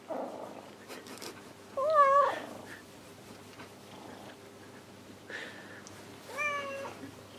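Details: House cat seeking affection while another grooms, indoors in the evening: two clear meows a few seconds apart, the first steady and slightly falling, the second wavering and bending upward at the end, with faint rustling between.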